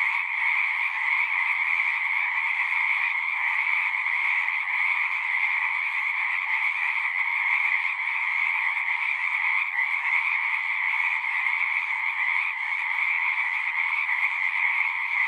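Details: Frogs singing en masse at a pond in a horse pasture, Zoom recording: layered high trills blend into a seamless ringing chorus that barely wavers in loudness.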